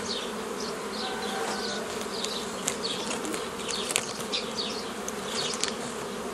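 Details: Honey bee colony humming while nuclei are split off a forager swarm, 15 May 2018; dense steady drone throughout, overlaid by frequent short falling bird chirps and a few sharp clicks.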